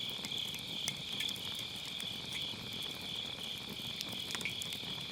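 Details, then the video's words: Autumn-night grass insects singing near a crackling campfire in a round fire pit, captured on a Sennheiser MKE600 with low cut: continuous high-pitched trilling chorus with a faint pulsing texture and scattered quiet crackles of burning firewood. "가을밤 풀벌레 소리"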